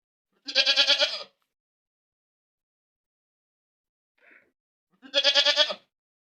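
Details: ['Goat screaming loudly: two drawn-out, vibrating bleats, each under a second long, about four seconds apart. A tiny faint sound falls in the quiet gap between them.']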